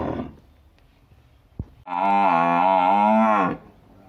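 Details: A village water buffalo gives a long, steady, nasal moo lasting about a second and a half.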